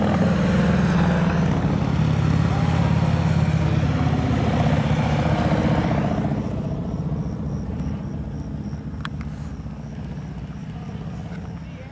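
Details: Steady low engine rumble from street traffic during a parade in Tollette, Arkansas, fading after about six seconds, with faint speech and no clear animal call.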